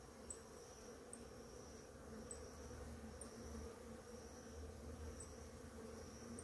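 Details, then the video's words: Many bees feeding on flowering ora-pro-nobis in the morning; a steady low droning hum of many wings continues throughout, with faint high chirps in the background. "orapronobis florida com muitas abelhas"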